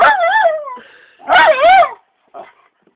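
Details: A jealous dog reacting to a muppet: loud wavering whines that bend up and down in pitch, two long drawn-out cries close together, then a brief soft whimper.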